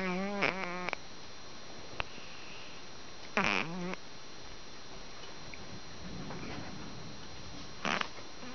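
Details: Ginger tabby kitten Karin, fast asleep while napping pressed against a second kitten, snores: loud whistle-like nasal bursts with wavering harmonics, each under a second, near the start, middle and end, separated by faint crackly breathing in a quiet indoor room.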